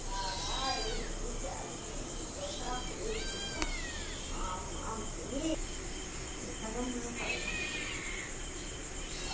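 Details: Hungry cat and kittens waiting for food: a string of short, bending meows repeated through the first four seconds, then a longer wavering meow near seven seconds, with a woman speaking Bengali and a constant high electrical whine.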